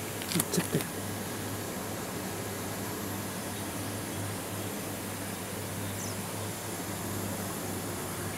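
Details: A constant low mechanical hum with broad background noise runs throughout, broken only by a few sharp clicks near the start.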